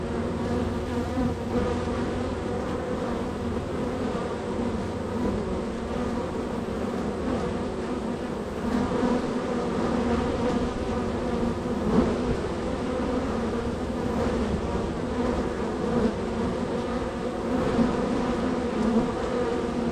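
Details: Honey bee hive extremely active on the day, with constant entries and departures; twenty seconds of steady, many-layered droning buzz, individual bees flying close now and then.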